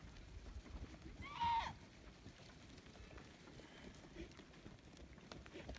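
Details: A goat, one of a herd being counted as it returns from grazing, gives a single short, nasal bleat against a steady rumble of outdoor background noise.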